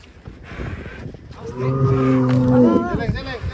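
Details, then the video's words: Agitated cow escaping its pen in Indonesia gives a loud, steady harmonic moo lasting about a second and a half, ending in a wavering downward break, over background rustling and noise. "SAPI NGAMUK SEREM KELUAR KANDANG"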